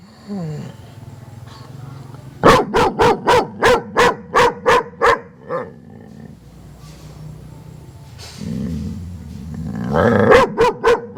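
A German Shepherd gives a rapid run of deep, sharp barks, then a growl and more barking.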